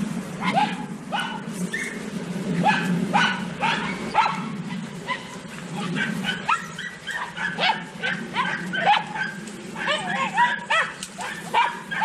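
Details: Several Podenco Andaluz hunting dogs on a rabbit hunt, the pack joining in and pressing the rabbit: dense overlapping high yelping barks in rapid bursts, with a steady low hum beneath throughout.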